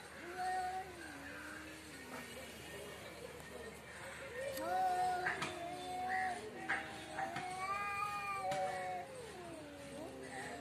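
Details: Cat outside in front of a house, making several drawn-out wavering meows with falling and rising tones, overlapping cries suggesting more than one cat, with a person speaking nearby.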